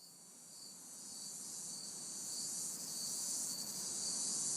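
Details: Crickets and cicadas recorded in a city backyard on a hot, humid summer night: a steady high, hissing insect chorus with faint pulsed chirps underneath, gradually growing louder, and a soft low rumble of distant traffic.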